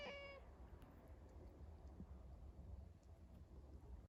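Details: Domestic cat reacting to a person sneezing; one short, clear, tonal meow at the start, then quiet room noise with a low rumble.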